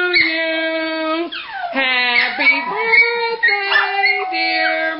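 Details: Several pet Miniature Pinschers howl along as people sing Happy Birthday, the only song they join in with; long harmonic howls with wavering pitch and a steep falling glide, continuous throughout, blended with human singing.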